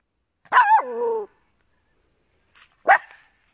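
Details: A small indoor dog, Papillon or Yorkshire Terrier, gives a yelping bark that slides down into a drawn-out whining tail. After a pause of about two seconds comes a second, shorter, clipped bark.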